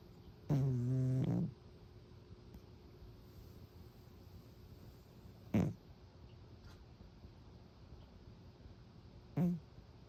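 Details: Sleeping pet cat snoring: a long low rasping inhalation at first, then two brief snorts spaced several seconds apart, with quiet room background between.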